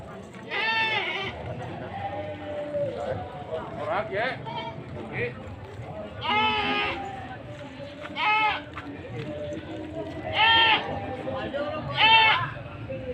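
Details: Goats for sale at a livestock market in Sumpiuh, Banyumas, Central Java, on 20 December 2025: five or so nasal, quavering bleats, some short, some drawn out, roughly every two seconds, over a background murmur of people.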